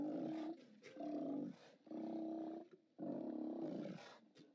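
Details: Steller sea lions at a haulout watched by a live cam on 29 October 2017, giving harsh, growling roars in bursts of about a second, three main blasts separated by short quiet gaps, with several animals overlapping.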